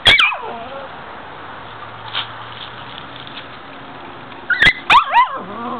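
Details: Five-week-old puppies in an outdoor pen in a front yard on a mild afternoon. High, thin whining yelps that slide downward open the clip. After a quiet stretch, a tight cluster of squeaky whimpers follows near the end.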